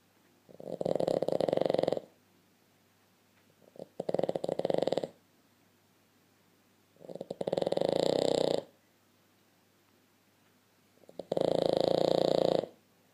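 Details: A Boston Terrier, fast asleep nose to nose with a blue Staffordshire Bull Terrier, snores in slow, rasping bursts, each lasting about a second or more.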